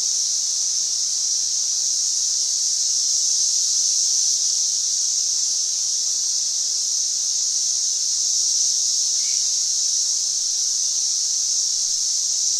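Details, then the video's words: A group of 13-year periodical cicadas at Gunter Hill Park campsite, Montgomery, Alabama, sings loudly in a dense, steady, high, shimmering drone that never breaks; Periodical cicada. "Cicada Chorus"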